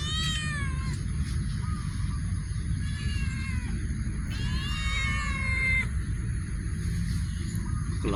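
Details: Cat in a warehouse giving several drawn-out, wavering meows: a short one at the start, another near three seconds, and a long falling cry around five seconds, all over a constant low rumbling hum.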